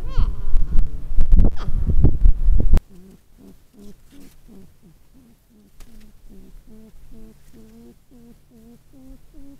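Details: Porcupines talking, moaning, groaning and arguing: a loud, rough low groan lasting almost three seconds, then a quick run of short, wavering, nasal whimpers repeated several times a second, rising and falling in pitch.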